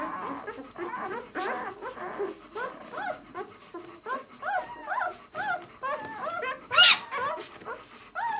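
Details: A litter of White German Shepherd pups, six days old, from the "of White Night" B litter, giving a steady stream of thin, wavering squeaks and whines that overlap, with one brief louder squeal near the end.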